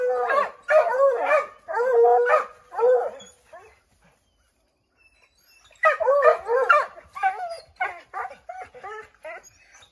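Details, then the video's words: Redbone Coonhounds at an oak tree where a chipmunk is treed, barking and howling to flush it; a burst of mixed bays, a silent pause of about two seconds, then another round of rapid barks. "Redbone Coonhounds Tree a Chipmunk"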